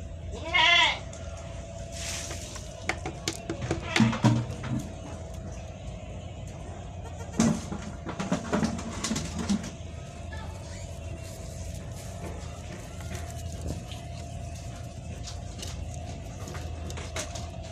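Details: A single quavering bleat opens the recording of newborn goat kids suckling from their mother, followed by scattered clicks, rustling and a constant low hum.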